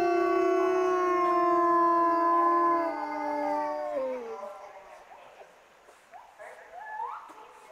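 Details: Captive wolves at Asahiyama Zoo in Hokkaido, Japan, reacting to the morning park announcement with howls; several steady, overlapping tones held for about four seconds, then sliding downward and fading into softer, scattered rising calls.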